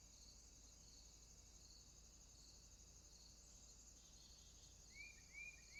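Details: Swamp crickets at night hold an unbroken, thin, high buzzing chorus; toward the close a pair of rising whistled chirps from another animal cuts in over the drone.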